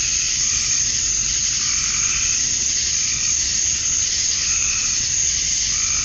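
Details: Summer-night cicada chorus at dusk in Georgia, USA, with males calling to draw females; a continuous shrill droning hiss overlaid by gentle, slowly swelling lower pulses.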